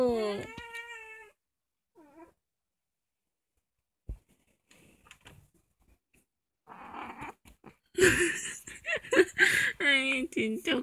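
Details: At home at night, the household's youngest cat, Kkomaengi, an orange female of about two, gives one clear wavering meow at the start. A quiet stretch follows, then louder rustling and handling noise with short cat cries near the end.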